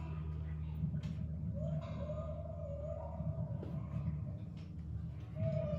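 Humpback whale calls: long, smooth, sliding moans over a steady low rumble, used to communicate with other whales.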